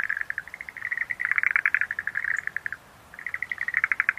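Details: Schlegel's green tree frog calling in rapid pulsed, rattling trills at a mid-high pitch. Bursts overlap as if several frogs are calling together. The chorus breaks off briefly near the three-second mark, then resumes with sharper clicking pulses.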